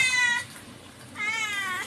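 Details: Two drawn-out meows from a pet cat, a short one followed by a longer, steady one after a brief pause, with faint room noise behind.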